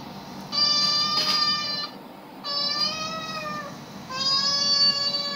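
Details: Cats hearing animal sounds played to them: three sustained, even-pitched meows, each lasting over a second, spaced by roughly one-second gaps against a faint steady hum.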